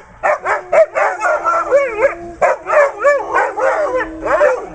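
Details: Weimaraner females singing together when their owner prompts them, a chorus of wavering, rising and falling howls mixed with short yips, overlapping voices pulsing several times a second.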